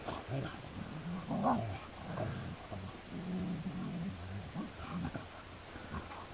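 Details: Two Siberian Huskies play fighting on a heath growl and grumble in low, rumbling bursts.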